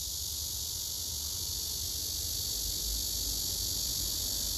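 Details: Singing male cicada on a tree trunk among other cicadas, phone-recorded: a continuous, even, hissing high-pitched drone with no pauses, with faint low rumble underneath.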